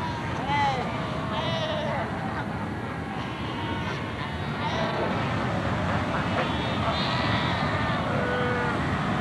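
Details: A Cape Cross colony of Cape fur seals on Namibia's Skeleton Coast, filmed in 1992 with pups being reared: many quavering, sheep-like bleats rise and fall in an overlapping chorus above a constant rushing background of surf and wind.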